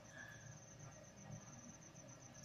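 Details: Cricket kept for training to chirp sooner, giving a continuous high, rapidly pulsed trill that sits faintly above a heavy low rumbling background noise.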